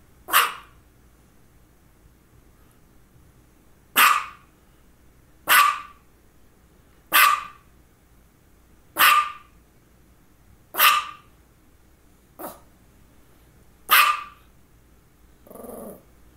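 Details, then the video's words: Female dog barking around two focal seizures, one just before and one shortly after: eight single sharp barks spaced irregularly about one and a half to two seconds apart, ending in a low, softer grumbling sound. "Barking and two focal seizures"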